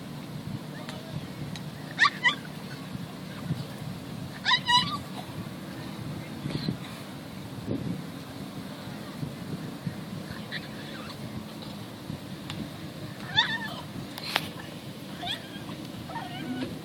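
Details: Pet dog upset at being left behind as a person walks away without him, giving short wavering, warbling whine-yodels in bursts of about a second, repeated several times, over a steady low engine-like rumble.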